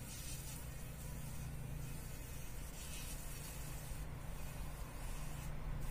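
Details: Fly caught in a spider web in the corner of a workshop, struggling to survive in the morning; low, steady droning buzz with stacked harmonics, continuous for about six seconds, over a faint background hiss.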